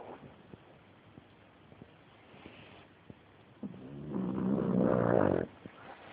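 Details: Pug named Layla snoring, recorded on an Android phone: soft, regular low breathing rasps, then a louder, drawn-out snuffling snore lasting over a second before it fades back to quiet breaths.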